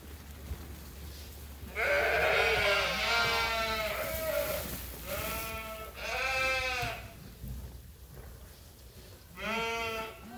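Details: Sheep and lambs at Ewetopia Farms awaiting feed at chore time; four quavering bleats of varying length at irregular intervals, the first long and loud, later ones shorter.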